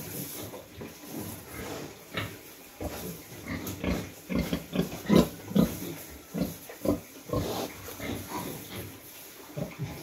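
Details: Sow that has just farrowed, in a warmed pen with her piglets in the cold season; repeated low grunts at about 140 per minute with brief higher squeals and rustling bedding.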